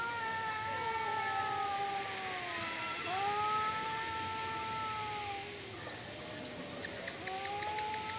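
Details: Cats in a fight trade long, moaning yowls. Each wail sags into a dip and swoops back up, with two or three such swoops across the stretch. Faint scratchy noises sound underneath.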